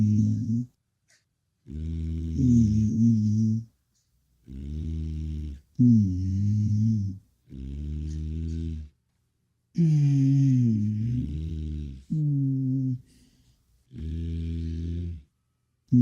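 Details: A llama (Lama glama) of the Andes hums in low, nasal 'mmm' tones used to communicate, each lasting one to two seconds with short pauses between.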